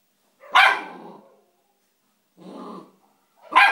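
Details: Three-month-old Bull Terrier puppy playing with a rock: a sharp bark, a softer muffled yelp about two seconds later, then another sharp bark, with silence between.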